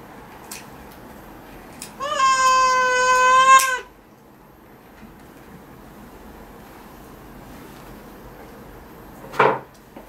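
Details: Domestic cat meowing while its claws are trimmed indoors: one long, steady, tonal meow lasting nearly two seconds, slightly rising at the start, then quiet room noise and a short thump near the end.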